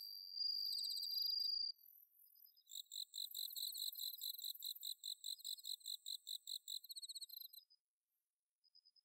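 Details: Autumn night insect chorus from Inba marsh rice paddies in Chiba, Japan: a bell cricket's bright ringing trill lasts about a second and a half, then gives way to rapid repeated pulsed chirping of other crickets before fading.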